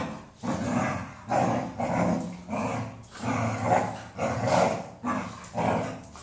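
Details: Golden Retriever, female, vocalising in a series of low, rough groaning growls that rise and fall in regular bursts about every three quarters of a second.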